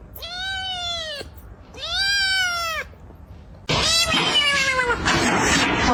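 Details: A pet cat gives two clear, drawn-out meows, each about a second long and slightly arched in pitch. They are followed by a louder, noisier stretch in which another meow is mixed with voices and household sounds.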